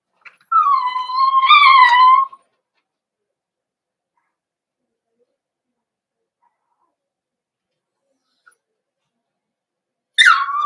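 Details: Cavalier King Charles Spaniel puppy in a pen while older dogs visit for socialization; a steady, high, tonal whine lasting about two seconds with a slight rise in the middle, silence, then a brief sharp yelp at the end.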